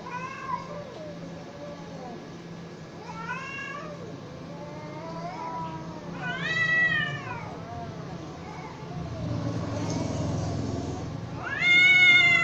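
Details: Cats in a fight, exchanging arched yowls and lower groaning cries, with a burst of low rumbling noise near the end before a loud, sharply rising wail closes it.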